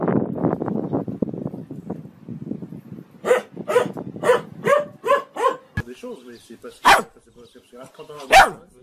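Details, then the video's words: Dogs barking amid busy background chatter: a run of five quick, evenly spaced barks follows a stretch of noisy voices, then a few louder single barks with quiet gaps between them. "Most funny dog barking videos compilation"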